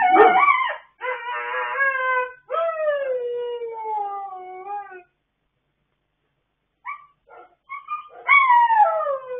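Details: Dogs singing together late at night on 26 October 2022: a yelping start, then sustained, drawn-out howls that gradually fall in pitch, followed by a silence and then a few short rising yips leading into a fresh howl.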